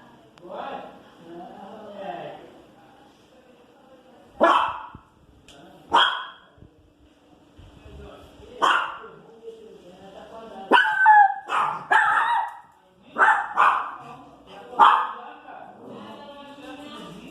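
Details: Female Pinscher barking at noise in the street: scattered sharp barks and a whiny, wavering bark in the middle, mixed with human speech and low background murmur.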